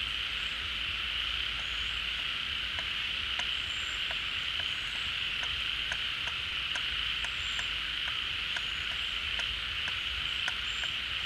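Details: Frogs chorus at a pond refilling with rainy-season water. A continuous buzzy drone runs under sharp clicks that repeat about every half second, with a few short high whistles above.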